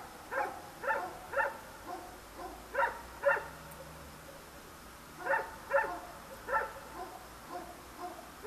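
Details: A dog barks in the dark among many dogs and passing traffic, filmed with a Sony DSC-H200; bursts of three or four quick barks separated by short pauses, with a faint low engine drone underneath.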